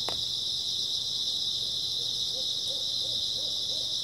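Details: Grass insects on an early autumn night, a steady high continuous shrill chorus filling the background, with a faint run of low hooting notes building toward the end.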